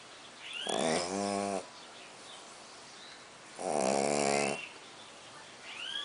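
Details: Pug named Colt snoring a lot, two long buzzy, harmonic snores roughly three seconds apart, each lasting about a second, with soft chirping birds in the background between them.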